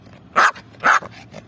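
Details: Yorkshire Terrier named Lucy barking during a ball game: two sharp, loud barks about half a second apart, followed by a couple of softer trailing yaps over a faint low background hum.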